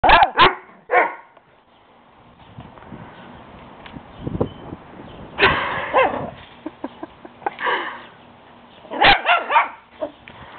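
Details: A small Shih Tzu puppy barks playfully at a much bigger dog next door: sharp barks come in short bursts at the start, around six, eight and nine seconds, with quieter rustling and faint yips in between.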